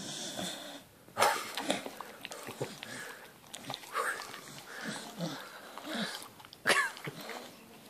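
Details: Staffordshire Bull Terrier named Taz coming out of deep sleep, giving raspy wheezing snorts and sniffs in irregular bursts, with loud snorts near the start and again near the end, and a man calling his name just before.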